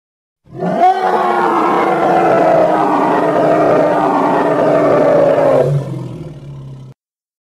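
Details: Hippopotamus giving one long, raspy, full-throated bellow lasting roughly five seconds, strongly harmonic and steady in loudness, ending abruptly and trailing into a soft low grumble.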